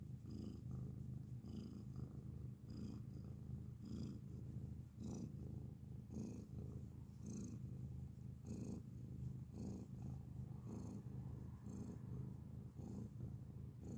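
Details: Up close, a grey cat purrs loudly in an even, continuous low drone, with faint soft ticks and breathy touches throughout.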